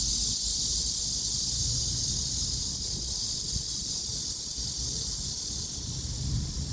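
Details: Chorusing cicadas give a continuous high whir that swells and fades gently, with low background rumble throughout.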